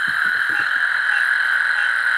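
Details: At night on a river tributary of the San Antonio River in South Texas, thousands of male American toads in a thicket give long, steady, musical trills, an unbroken high hum calling for mates.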